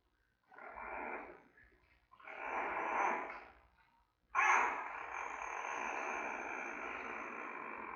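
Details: Three-week-old giant panda cub calling in its den at the Smithsonian's National Zoo, watched on panda cam with mother Mei nearby: two raspy squeals, then a loud, sustained, grating squall held for several seconds.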